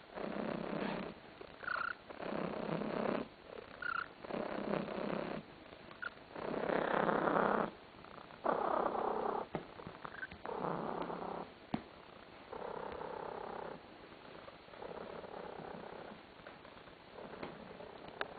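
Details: Tarasik, a pet cat basking on a sofa, purrs in pulsing two-second bursts that grow louder mid-clip, some brighter and rougher, with occasional small squeaky creaks breaking in and softer purring toward the end.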